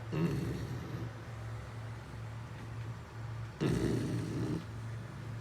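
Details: Sleeping Beagle giving two raspy snore breaths, one at the start and a longer one later, with a constant low droning hum between them.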